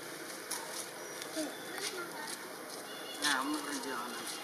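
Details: Baby monkey Britta, wild, crying loudly after her friends left, before Spring hurries to comfort her; thin wavering cries rising and falling, ending in a louder, sharply descending wail, over steady hiss of outdoor background noise.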